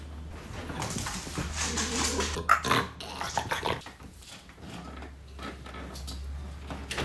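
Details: French Bulldog reacting to strange noises, giving rough, irregular grunting snorts and snuffles with short bursts of breathy noise over a steady low hum.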